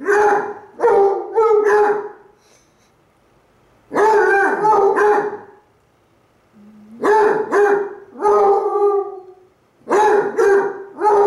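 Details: Basset Hounds Cooper and Jahko howl at each other, Cooper too lazy to get up; clusters of choppy howls mixed with bark-like yowls, separated by silent pauses of a second or two.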